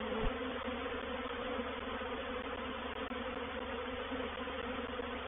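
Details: Honey bees in a reproductive swarm settling into a bait hive, or swarm trap, on 04/07/21: a loud, continuous droning buzz without breaks, with a brief low thump at the start.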